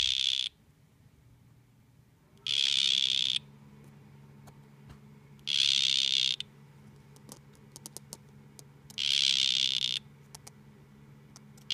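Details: Two male dart frogs facing off: loud buzzy trilled bursts near 4k, each under a second, come four times at uneven gaps of two to three seconds over a faint low hum and scattered clicks.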